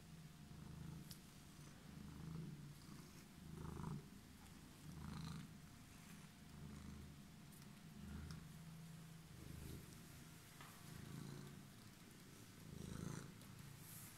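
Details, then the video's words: Homeless cat waiting on a stairway purrs steadily in low rumbling pulses, each breath cycle lasting about a second or two, with faint clicks and a thin steady hum above. "Cat was waiting for me in the stairs"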